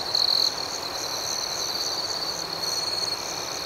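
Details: Cricket chorus at night: one loud, high trill opens the moment, then gives way to an even, rapidly pulsing chirp that continues steadily above quiet hiss.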